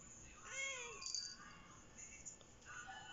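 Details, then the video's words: Female Siamese cat, a talkative breed, indoors in the evening talking back non-stop as a person talks to her: a drawn-out harmonic meow rising then falling, followed by softer, shorter mews. "CAT CAN TALK"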